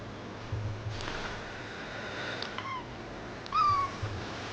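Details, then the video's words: Just-woken baby kitten babbling: a few soft, faint mews, then one louder, higher mew that dips slightly at its end, with a low room hum underneath. "Baby Kitten Wakes up From Sleep and Makes A Babbling Sound"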